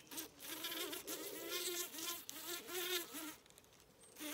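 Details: Wavering, higher-pitched insect buzzing from bees working foxglove flowers on a regenerative farm in County Kilkenny, Ireland. The drone rises and falls in pitch several times in a few seconds, then fades out.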